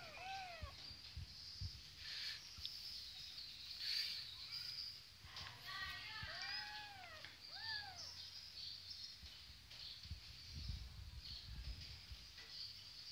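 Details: Kittens playing on a Kawasaki motorcycle, their mother nearby, give several thin, arching high meows spread over the stretch, with steady insect-like buzzing, low rumbling noise and occasional soft human talk.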